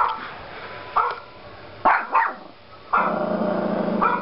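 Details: A Yorkshire Terrier puppy gives sharp, high yapping barks, irregular and in quick pairs, barking at another dog on a computer screen.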